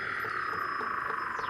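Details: Weddell seals recorded by hydrophone lowered through 2 m of fast ice near Big Razorback Island, Antarctica, in the breeding season; a steady electronic-sounding tone with pulsing overtones and a brief descending sweep near the end.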